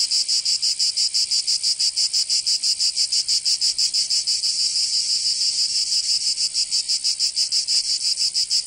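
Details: Cicadas of Provence, southern France, calling in summer: a continuous piercing buzz throbbing in regular quick beats, about three a second, the rhythm briefly blurring midway before resuming.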